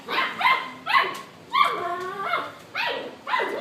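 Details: Older F1 Bernedoodle puppies playing next door give high yappy barks, about six sharp bursts in under four seconds, some with a rising then falling yelp, against a quiet background.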